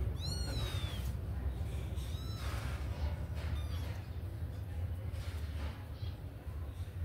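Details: Kittens out of their cage and eager to run and play: a high, thin mew with a falling tail at the start, a second shorter mew about two seconds later, over a constant low background rumble.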